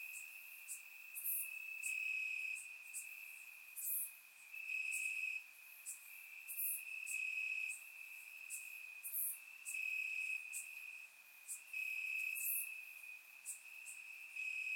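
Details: Bulgarian summer night in the grass, crickets chirping nonstop: a constant thin trill intensifies in regular louder bursts every second or two, punctuated by crisp, very high clicks and chirps from other insects in the chorus.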